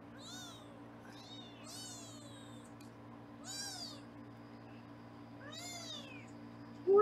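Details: Foster kittens on a live 24/7 kitten cam in Los Angeles, recorded while being weighed indoors: four or five high, wavering meows with rich harmonics, each about half a second long, over a steady low electrical hum.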